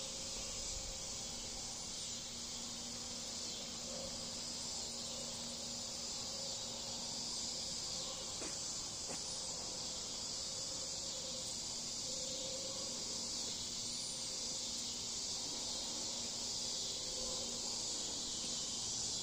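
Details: Cicadas singing in a backyard on a cool August evening in Bolivar, Missouri, likened to an orchestra; a continuous dense high-pitched hiss-like chorus, with faint lower tones and occasional clicks.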